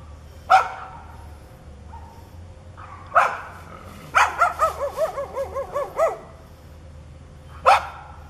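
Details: Growling, foaming neighbour's dog lets out isolated sharp barks, then a quick series of about eight arched yelping barks in two seconds, before a final single bark; low background hum throughout.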